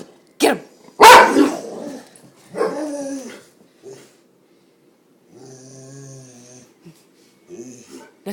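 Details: Kramer, a pet dog whose barking sends him into sneezing fits, gives two sharp, loud barks close together. A drawn-out harmonic whine and short soft bursts follow, in a quiet indoor room.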